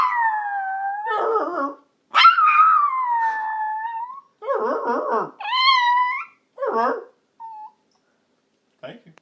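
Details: Yorkshire Terrier howls with its owner: a long falling wail, then shorter rising howls and brief yips interleaved with lower wavering human voice, ending in quiet pauses.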